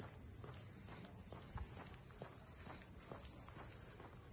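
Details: A short stretch of unbroken, high-pitched cicada buzzing in the Ine no Funaya port district of northern Kyoto, with soft footsteps crunching along underneath.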